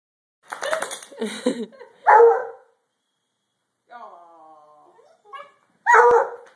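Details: Two Redbone Coonhounds playing indoors; two loud, sharp barks, one near the middle and one near the end, with a person talking softly before them and quiet gaps between.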